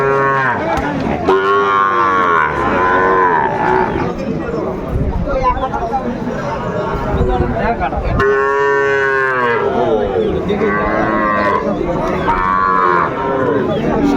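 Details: Sahiwal calves being sold at a Sylhet market on 29 June 2024 give repeated wavering moos in clusters, a gap of mostly crowd noise in the middle, with people talking and haggling over prices throughout.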